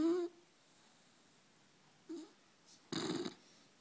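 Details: Four-month-old puppy in deep sleep, giving short nasal whistling snores: a brief high whine at the start, a soft snort near two seconds, then a louder raspy breath lasting under half a second.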